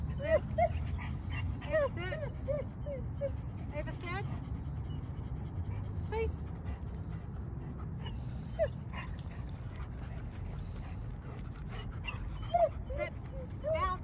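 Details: Eleven-month-old female working-line German Shepherd in a two-week board-and-train program, energetic and easily distracted; short high whimpers and thin whines come in scattered bursts over people talking and a low hum of background music.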